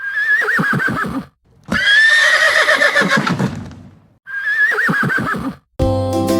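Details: Horse neighing, presented as the animal's real sound in a children's reading lesson: loud, wavering whinnies with shaking pitch, three bursts separated by short silences, the last cut off by a brief musical sound.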